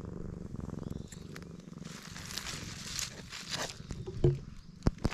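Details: Black stray cat purring loudly while being stroked, a low rumbling purr that fades midway under rustling and brushing noise, with a few sharp clicks near the end.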